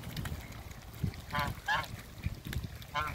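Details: Mallard couple at a Skydra waterbird farm: three separate raspy, harmonic quacks in quick succession, the second slightly higher, with low rumbling handling noise between them.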